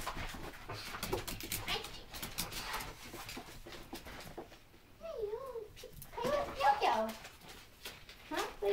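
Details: A puppy at play indoors lets out high, wavering whines in two bursts past the midpoint, the second longer and more broken, while people chatter and talk to it through most of the recording.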